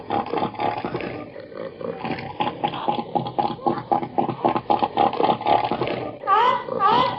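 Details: Seal giving a melancholy whine: a run of rapid, rasping pulsed grunts for about six seconds, then two loud upward-sweeping whined cries close together at the end.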